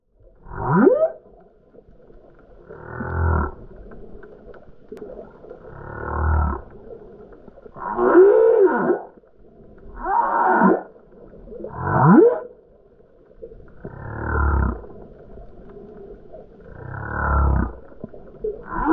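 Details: Humpback whale recorded underwater off the Turks and Caicos Islands during guided whale watching. Loud low moans repeat every two to three seconds, some with rising upswept whoops and deep rumbling bases, forming a steady series of calls.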